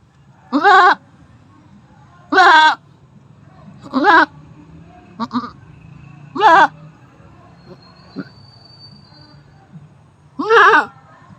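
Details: Goat in labour during its fifth delivery, calling with strong, quavering bleats spaced roughly two seconds apart, six calls in all, over a low steady hum.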